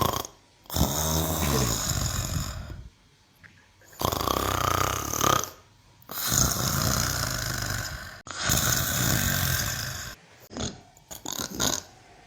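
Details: Snoring from Mimosa the cow, heard as a run of long, harsh, gurgling breaths. Each lasts two to three seconds and is separated by short silences, with deep low rumble and hissy upper noise.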